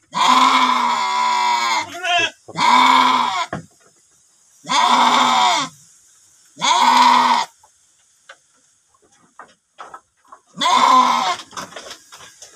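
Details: Male sheep in a pen: five loud, long, quavering bleats with rich harmonics, some a second or two apart. The quiet gaps between them hold soft clicks and shuffling.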